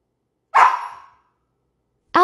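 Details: Hyperactive Siberian Husky letting out one loud, rough bark that trails off over half a second. Silence follows, then a clear tonal vocal note begins at the very end.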